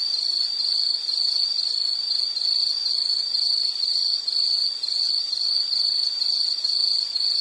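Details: Insect chirping for a relaxing nature soundscape: a high, shrill trill broken into rapid pulses, about two per second, steady in pitch and loudness, with faint upper overtones and quiet background hiss.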